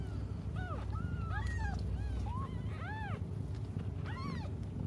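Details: Cats left waiting for their mother cry repeatedly, about eight short arched meows in five seconds, some rising and some falling, over a continuous low rumble.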